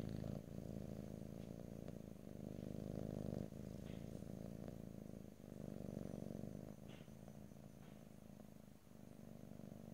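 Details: Purring house cat captured close up in stereo, no voice over it: continuous low throbbing rumble, pulsing fast and evenly, with short pauses where the cat draws breath, plus faint soft clicks.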